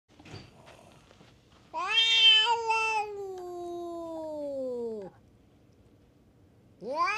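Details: Stray cats fighting at a tavern on a Japanese cat island: a long, harmonically rich yowl lasting about three seconds, slowly sliding downward before cutting off, then another rising wail begins at the end.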